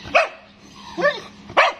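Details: Stud Siberian Husky barking near a chow: three short barks with a quieter one between, each a sharp onset with bright harmonics, spaced under a second apart.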